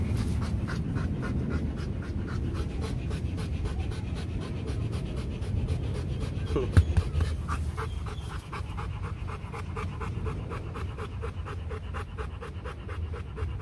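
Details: Rottweiler at the Gervi kennel in Vietnam during a breeding visit in which a female from Hưng Yên was mated with the champion Loki. Steady, rapid panting runs in even rhythmic breaths throughout, with faint voices in the background.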